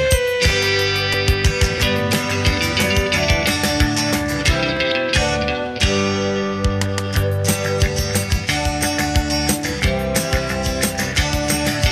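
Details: Only rock music with plucked and strummed guitar is heard, with no animal sounds. Steady chords and bass fill the whole passage, and no buzzing or other natural sound comes through.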